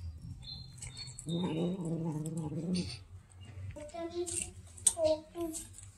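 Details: Domestic cat meowing while it waits to be fed fried fish: a drawn-out, mid-pitched harmonic meow, then a few shorter, wavering meows after a pause, over a low background hum.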